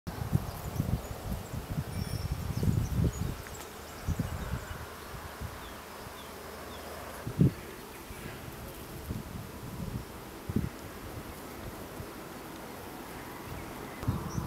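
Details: Honey bees foraging for nectar in a grove of fully flowering acacias in the Colli Berici, Italy, in an early season. A low, droning buzz with irregular louder surges as bees pass close, over soft rustling.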